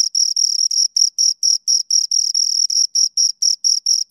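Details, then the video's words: A pair of crickets give short, sharp, high-pitched chirps, about four each second in a steady beat, each a bright buzzy pulse over near silence. "Two Crickets Chirp Sounds"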